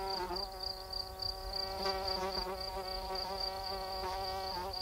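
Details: Cricket calling at night: rapid, high, pulsed chirps repeated about three to four times a second, steady throughout, over a continuous low humming drone with layered overtones.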